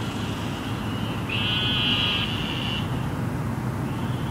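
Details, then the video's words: Eastern narrow-mouthed toad in Houston after flooding rain, a single drawn-out buzzy bleat of about one and a half seconds, with fainter buzzes from others before and after, over low traffic rumble. "Toads ("Sheep (?) in the big city")"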